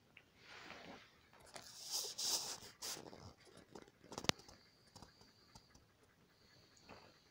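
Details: One-day-old Alaskan Malamute puppies with their mother give thin, high squeaks and soft snuffling grunts.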